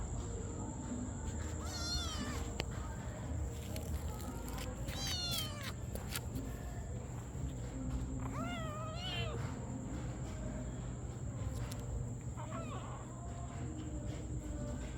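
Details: Cats and kittens meowing in a compilation: several short, rising-then-falling harmonic meows come at intervals of about three seconds over a steady low hum and a constant high electronic tone.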